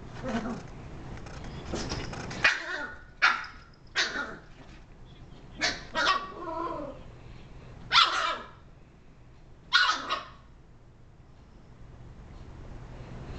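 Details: Female Shiba Inu indoors barking at a TV remote, sharp yelping barks in uneven bursts of one or two, about every second or two, with a woman calling to her between barks.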